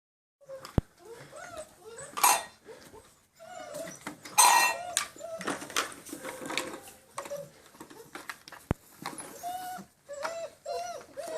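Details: Six-week-old German Shepherd puppies, line bred on Grim, indoors on a slippery floor for the first time: several short high whines and yelps from multiple puppies, with scuffling and knocks throughout.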